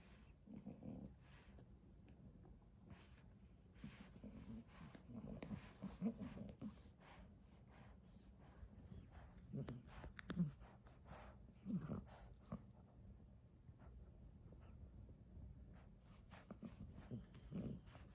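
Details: Ten-week-old English Bulldog puppy playing with a toy, giving low wheezy growls and snorting breaths in uneven bursts, with intermittent toy clatter and faint background voices.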